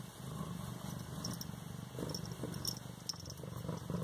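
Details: Continuous rumbling purr from an 18-day-old Siamese kitten in Bas-Saint-Laurent, with even, rapid pulses and a few soft rustles, over a steady faint background hum.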